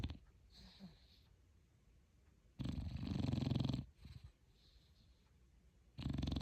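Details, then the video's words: A dog snoring while asleep: two loud, rough, low breathy snores, each lasting over a second, separated by a quiet stretch with soft breathing. "My cutie snoring dog"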